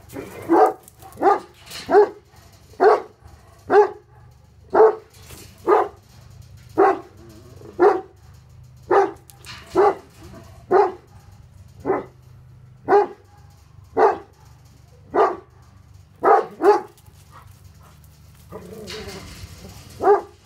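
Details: Bosnian Shepherd dogs, the Tornjaks Hattori Hanzo and Leksi, guard against an intruder with a long series of steady, deep barks, roughly one every second, pausing briefly near the end before a final bark.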